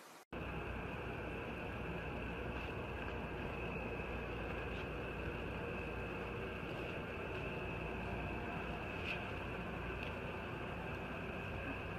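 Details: Steady mechanical hum with a constant high whine and broad background noise fills the recording, no animal voice heard.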